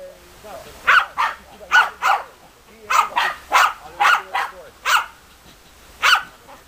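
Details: German Hunting Terriers Bagira and Cox von der Fuchskralle give bursts of sharp barks, often in pairs, with short gaps between groups and faint voices underneath.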